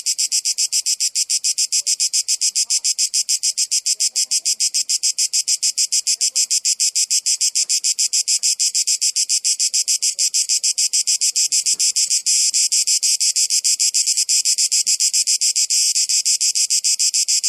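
Cicadas keep up a loud, high, rasping buzz of rapid pulses that never stops.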